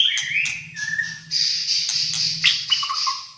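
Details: White-rumped shama from Malaysia, fighter type, in full song: whistled notes then dense harsh buzzy phrases and sharp clicks, ending in lower whistles, with a low hum beneath.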